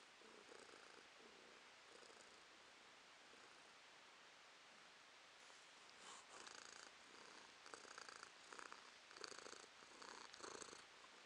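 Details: Purring house cat, quiet at first, then louder rhythmic bursts close together in the second half as breathing cycles come through clearly over a constant hiss.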